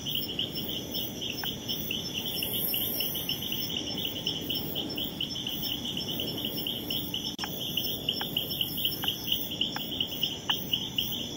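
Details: Leptodactylus troglodytes frog behaving territorially and repelling an opponent, giving brief upward-sweeping whistled notes, sparse early then about once a second in the second half, over a steady high-pitched cricket chorus and a faint low background hiss.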